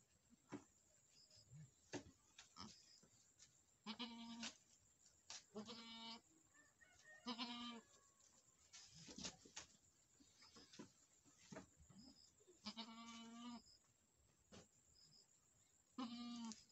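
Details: On a Nepali Boer goat farm where a first-time doe has delivered a male kid, repeated quavering bleats sound every two seconds or so, some longer and trembling, with scattered knocks and rustling in between.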